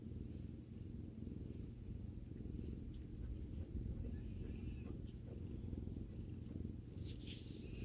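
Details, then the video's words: Relaxed house cat, a female, rumbling contentedly beside her owner: an unbroken deep purr with an even rhythm, and a faint higher squeak and slight rustling near the end. "Video that relaxes while listening to the cat's rumbling sound"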